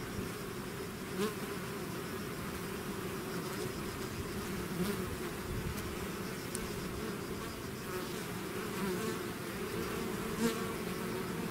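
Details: Constant low buzzing from a bee swarm emerging from its hive, a dense wall of wing hum with occasional louder individual fly-bys and small ticking sounds over the drone.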